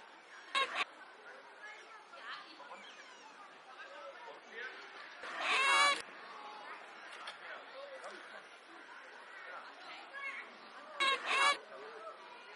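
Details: Oriental short-clawed otters at a zoo, original sound: three loud clusters of sharp, high, squeaky chirps near the start, middle and end, with softer twittering chatter between them.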